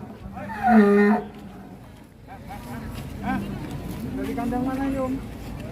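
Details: Cattle at a 2022 Indonesian cattle contest: one loud low moo near the start, followed by quieter, fainter lowing and crowd murmur with background music.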